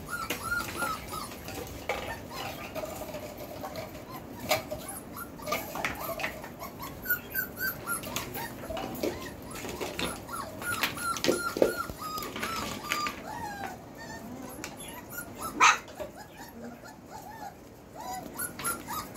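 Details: Belgian Malinois puppies of the Beastie/Barron litter, four weeks and four days old, born 26 September 2021, giving a steady stream of thin, rising-and-falling whimpers and squeaks that overlap as several pups cry at once, with scattered clicks and scuffling.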